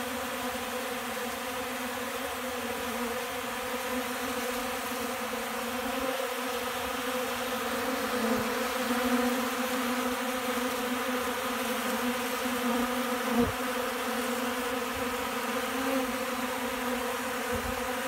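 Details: Honey bees packing cornmeal, powdered milk and cracked corn into their pollen sacks while eating from a hand on a 70-degree December 29th: a sustained, humming drone with overtones and a few soft knocks.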